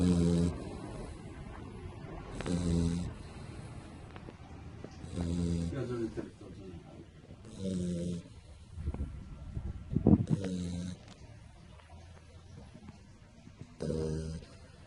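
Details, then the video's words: Pit bull puppy asleep belly up, snoring in deep, rumbling, buzzy snores roughly every two and a half to three seconds, with soft breathing between and a brief louder snort near the end. "cane che dorme e russa - dog asleep and snoring"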